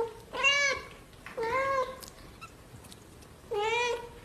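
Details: Cute kitten meowing three times in a quiet indoor setting: short, clear, slightly rising mews with bright harmonics, two close together and a third after a two-second pause.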